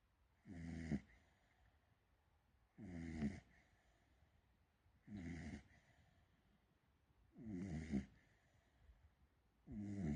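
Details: Snoring from a female Beagle puppy asleep: five rhythmic rasping snores, each roughly half a second long and repeated about every two and a half seconds, with near silence between breaths.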